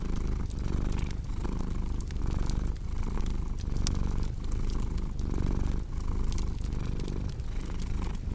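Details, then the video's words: Cat purring in a deep, even drone that dips briefly between breaths about once a second, accompanied by steady fireplace crackle and occasional louder snaps. "Purring Cat"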